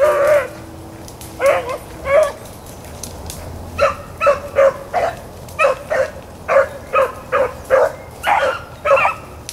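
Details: Hounds of Blackcreek and Bluetick lines on a rabbit chase, April 4, 2013: short, bright chop barks repeat about twice a second, with a few longer bawls early on, over a steady background hiss.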